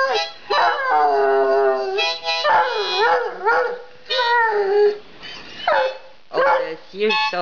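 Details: Hound dog howling, or 'singing': long wavering, tonal notes with rich overtones that bend up and down, broken by short gaps and a few quick yips. Phrases last about one to two seconds.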